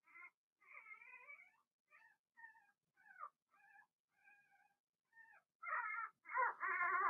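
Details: Cavalier King Charles Spaniel puppies, Blenheim litter of six, indoors in their pen; a run of short tonal whines and squeaks, some wavering, building to louder overlapping cries at the end.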